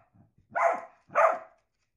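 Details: Two loud, slightly rasping barks from a pet Dachshund, half a second apart, each with a quick rise and fall, against silence.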